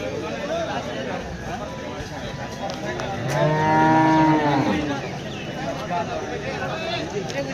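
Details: Cattle at the busy Varkhedi cow market on 10 July 2025 give one loud, sustained moo of about a second and a half with strong harmonics, slightly falling at the close, surrounded by speech and market murmur.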